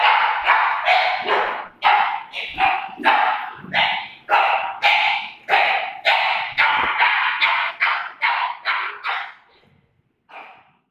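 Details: Dogs playing, a Doberman and a pug: rapid, high, yappy barks in quick succession, nearly two per second, fairly even in pitch, some barks sharper and louder, trailing off to a final short yip after a pause.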